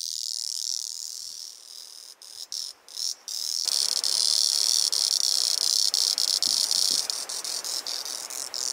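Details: A male two-spotted singing cicada (Auritibicen bihamatus) on Kunashir Island, Kurils, sings a loud, high, hissing buzz that stutters at first, then swells into a steady drone.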